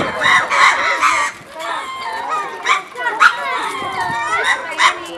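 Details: Several lemurs at Attika Zoo Park moving around and calling: overlapping harmonic, wavering cries in rapid bursts, some rising and falling, with a busy, crowded background.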